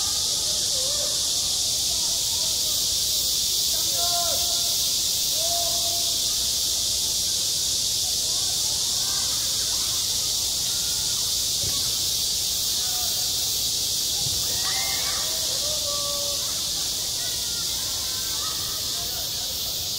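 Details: Cicadas sing in high summer at a school playground: a dense, steady, hissing drone that fills the upper range without pause, with faint distant voices drifting underneath.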